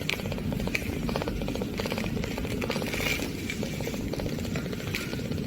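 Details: An eight-day-old Munchkin kitten's first purring: a low, steady, rapidly pulsing rumble.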